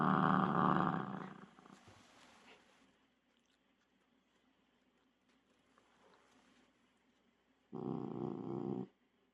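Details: Shiba Inu growling while obsessively holding onto a ball: a loud, harsh, low rumble at the start, a quiet pause, then another short, forceful growl burst.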